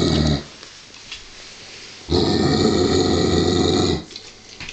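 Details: A 49 kg Giant Schnauzer growls in a low, rough rumble at a wooden toy sheep covered in real sheepskin, uneasy about it, with a long sustained burst after a short one.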